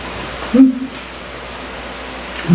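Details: Crickets around a rural house at night; a thin, continuous high trill runs beneath the whole stretch, briefly interrupted by a dull knock and a low voice-like sound.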